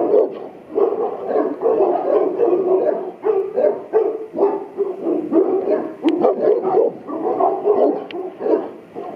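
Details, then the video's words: Boerboel named Buddy, kept at Aubin Boerboels, barks while charging the camera: a steady, rapid run of deep, rough barks, roughly two per second, continuing for the whole stretch. "Strong Boerboel charges at camera"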